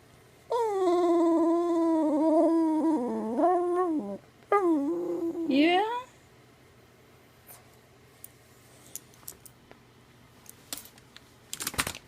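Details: Sylvia, a jealous dog, grows very verbal indoors while attention goes to Taffy: a long wavering, moaning whine lasting about three and a half seconds, a brief pause, then a second rising-and-falling whine, followed by quiet room sounds and faint clicks.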